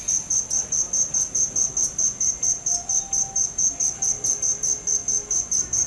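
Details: Cricket chirping in a steady, high-pitched rhythm, roughly two short ringing pulses per second across about six seconds, with faint low background hum beneath.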